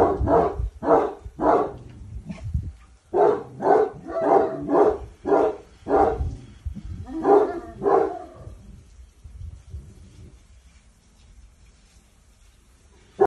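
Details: Cane Corso Boçi, a dog that has started taking commands, gives a steady series of about a dozen deep, full barks over eight seconds, roughly two per second, then falls quiet with only faint low rumbling.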